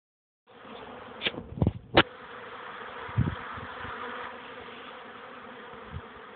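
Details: Honey bees making young bees' first orientation flights at a hive, 13 May 2013 around 14:04, on a warmer afternoon after several cool rainy days: a dense, steady droning hum with a low harmonic whine, plus a few soft bumps and knocks.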